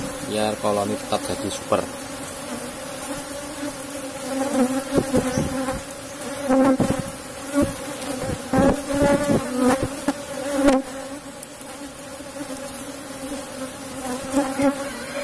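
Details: Steady humming drone of an Apis cerana colony kept in a box hive while honey is taken: an even, layered buzz with a few brief voice sounds early on and repeated sharp taps and knocks throughout.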